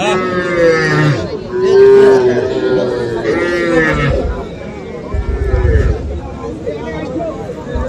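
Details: At Aftabganj market in Bangladesh on 3 February, young bulls and heifer calves low in long, droning moos, one rising and falling near the middle, with market talk and bustle behind.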